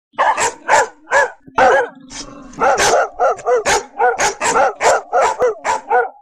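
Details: Dogs barking: a rapid series of about fifteen sharp, harmonic barks at roughly two to three per second, with a brief pause and a lower whine-like sound near two seconds.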